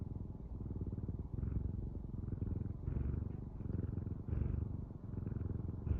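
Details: Purring house cat heard up close: a thick, low, throaty buzz that rises and falls in breath-long waves a little over a second apart, with nothing else audible.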